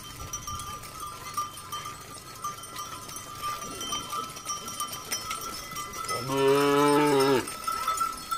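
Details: Cow giving one drawn-out, low, steady moo of about a second near the end, after a stretch of quiet rustling, with a faint constant tone running underneath throughout.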